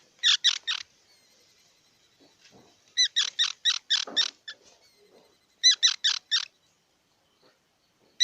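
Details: Squirrel calling with loud, squeaky chattering notes, given in rapid bursts of three to six sharp chirps with pauses of a second or more between bursts; no other clear sounds.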